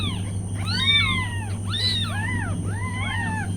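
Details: Mother cat's newborn kittens mewing: overlapping high, curved little cries in quick bursts, some rising, some falling, two or more kittens calling together against a steady low humming background.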